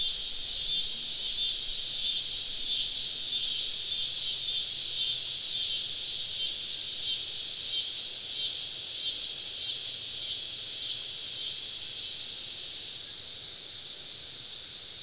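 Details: Cicadas all around a camp in southern woods on a summer evening give a strong, rhythmically wavering high buzz that suddenly drops quieter near the end.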